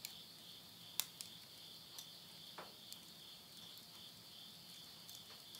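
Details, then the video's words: Steady high-pitched insect drone at the end of summer, recorded at midnight near Yurihama, Tottori, Japan, in September 2020, with a loud crack of burning wood from a stove and a few softer pops. "the voice of insects"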